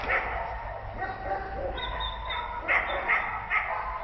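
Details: Abandoned nine-month-old American Staffordshire Terrier in a Turin shelter, distressed by loneliness. Drawn-out high whining mixes with short yelping barks, three quick sharp yips near the end, over continuous low background noise.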